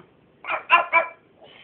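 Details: A dog barks for food after its walk while being told to stay: three quick, bright barks in under a second, with a faint higher squeak after.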